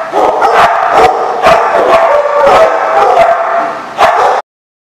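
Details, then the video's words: Several dogs, recorded 5/11/15, bark and yip in quick bursts over a continuous chorus, one louder bark near the end before sudden silence. "The Barking Lot"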